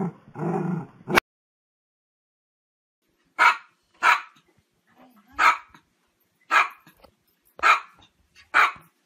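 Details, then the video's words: Dog barking: six sharp, loud single barks spaced about one second apart after a short opening sound, with quiet gaps between them. "dog barking"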